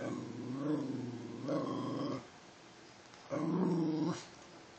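A Basenji mix dog gives two drawn-out, throaty, yodel-like vocalizations on cue.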